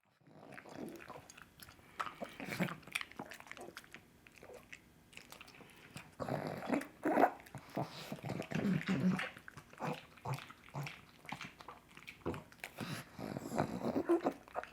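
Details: Coco, a female pug, eating her favourite breakfast of sausage indoors: wet smacking, crunching and chewing bursts, irregular and noisy, with brief snorting breaths between bites.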